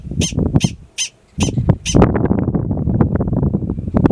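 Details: A yearling male Gunnison's prairie dog gives alarm calls in Valles Caldera National Preserve, New Mexico, in April: four sharp, bright chirps about every half second, then gusty wind rumble.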